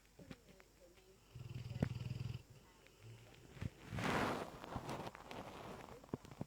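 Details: Dezo the Lurcher, asleep and a very loud snorer, makes one low, rumbling snore followed by a short, quieter one. A broad rustling noise then fills the latter half.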